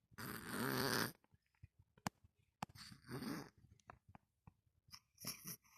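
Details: Domestic cat snoring while asleep indoors: three long, noisy, rasping breaths spaced a couple of seconds apart, with soft clicks and quiet breathing between them.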